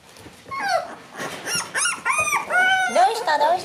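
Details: Four black Shiba Inu puppy siblings born October 15, on day two of their room debut. Rapid, curving whines rise and fall one after another, overlapping a woman's scolding voice indoors.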